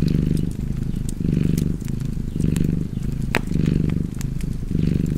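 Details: Low, rhythmic cat purr, a gravelly rumble that swells about five times in quick succession, near one pulse per second. The fire crackles lightly, with one bright snap in the middle.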